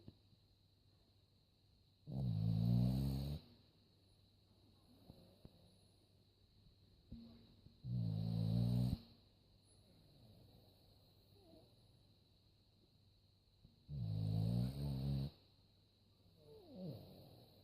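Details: A dog asleep indoors snores in three heavy, grating bursts spaced about six seconds apart, each lasting over a second, with quiet breathing and faint small noises in the gaps.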